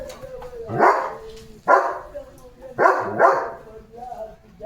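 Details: Leo, a German Shepherd, barks at cattle: three or four harsh, broadband barks about a second apart, one pair close together, while a person's voice carries on beneath.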